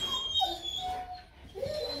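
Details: Rottweiler puppies from a Vietnamese litter sired by Bruno Slenio out of Hanna Gervi; thin, high whining whimpers rise briefly twice, soft and tonal against a quiet indoor background.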